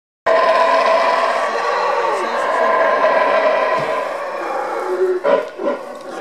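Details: Howler monkeys roar in a deep, throaty, rasping chorus at the entrance of Tikal park, Petén, Guatemala; steady and resonant like wind through a tunnel, later breaking into shorter, uneven bursts.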